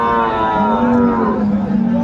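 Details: Sahiwal cow with calf at the Aftabganj cattle market, Dinajpur, on Saturday 14 December 2024: one deep, sustained moo, steady in pitch and then slightly rising, under light market murmur.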